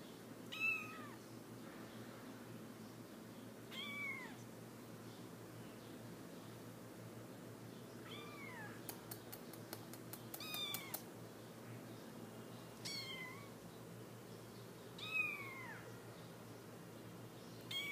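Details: Three-week-old Himalayan kittens (chocolate, cream and blue-cream) give thin, high meows, each rising then falling, every few seconds.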